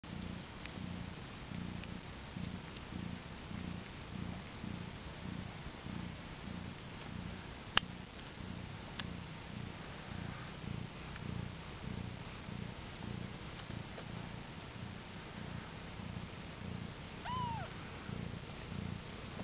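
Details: Mother cat that has just given birth to four kittens, born April 22, 2010 around 10am CET, purring: a low, steady rumbling purr in rhythmic pulses, with a brief faint high mew near the end.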